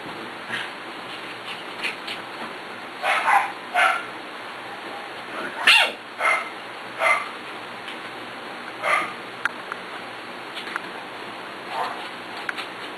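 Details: Scattered short puppy yips and squeaks spread across about thirteen seconds of play among six-week-old pups and a young female from the Ellie and Little Man litter. Quiet gaps fall between the bursts, with soft room noise underneath.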